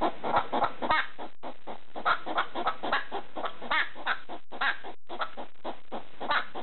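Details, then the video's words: Pet hedgehog barking at a slipper in the middle of the night: a rapid run of short, harsh clucking barks, roughly three to four per second, broken by two brief pauses. "Hedgehog making noise (barking) at a slipper in the middle of the night"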